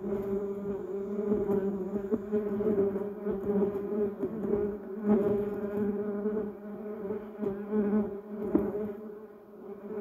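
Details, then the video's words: Steady humming drone of bumblebees foraging among yellow cassia and duranta erecta blossoms, a rich buzzing tone with stacked harmonics, loudness rising and dipping as individual bees pass close by. "Buzz Bumble Bees Sound"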